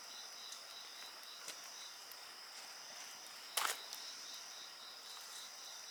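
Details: Insects trill in steady, high, finely pulsed bands that run through the whole stretch, with a short burst of bonfire crackle partway through and faint low background noise.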